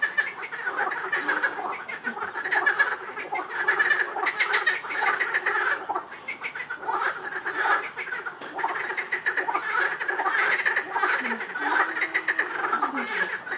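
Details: A dense frog chorus at Rainham Marshes, overlapping rattling, croaking calls that pulse on without a break.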